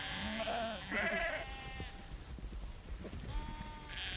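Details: Herd of sheep milling close while a female farmer shakes food; a couple of overlapping wavering bleats early on, then shuffling, rustling and footstep noises, with a thin bleat returning near the end.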